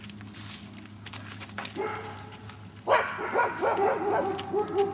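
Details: Dog at the JAWITP (Just A Walk In The Park) dog park in Dunwoody, Georgia: a rising whine gives way to a rapid run of harmonic, yappy barks, roughly two per second, over faint background murmur.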